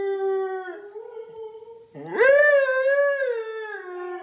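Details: Pet Siberian husky Loki howling in a morning duet with his owner: a steady low howl, a brief break, then a louder howl that swoops upward and slowly wavers down.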